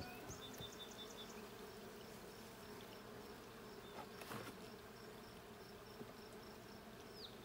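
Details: Honey bee hive during an inspection: dense, steady buzzing hum, a brief rustle or knock midway, and scattered high bird chirps in the distance.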